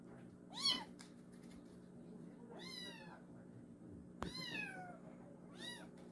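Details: Kitten from a rural mountain home uttering four meows of varied length, the third long and falling, against a steady low indoor hum, with one sharp knock. Meant to drive away countryside rats.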